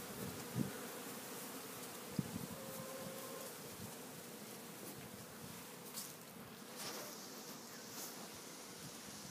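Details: Honey bees at a Warre hive entrance in April, bringing in pollen; a faint, steady background hum of many bees with a few brief close buzzes and light clicks.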